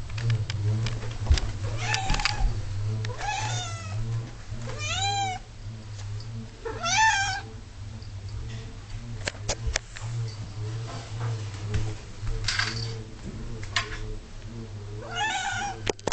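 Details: Female cat, about 11 years old, whingeing constantly and aggressively for her dinner at six o'clock: repeated drawn-out meows with wavering harmonics, one every second or two, over a steady low hum and clinking sounds.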